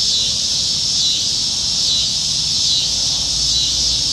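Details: Cicada chorus high in the trees on a summertime evening in Nebraska, July 2019, during the dog days of summer when cicadas are plentiful; a dense, continuous high buzzing drone with slow wavering pulses roughly once per second, low rural hum beneath.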